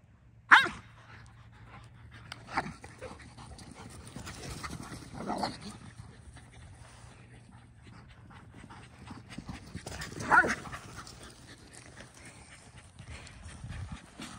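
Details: Three pet dogs, an Akita, a Belgian Malinois and a Corgi, play in the evening before bedtime. Steady breathy panting runs throughout, broken by two sharp loud bursts near the start and near the end, with soft low rumbles between.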